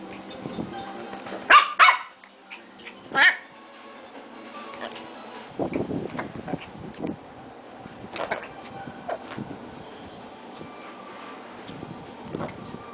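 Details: A 3-month-old Lhasa Apso puppy lets out a pair of quick, shrill yaps, then one more a second later. Quieter scuffling follows, over a steady background of a television news broadcast.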